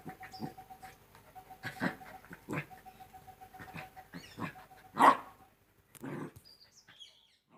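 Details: Two-month-old Rottweiler puppies playing: a series of short, broadband grunts and soft yips spaced irregularly, one sharp louder yelp in the middle, then quieter bursts; a faint steady tone and a few high chirps sound in the background.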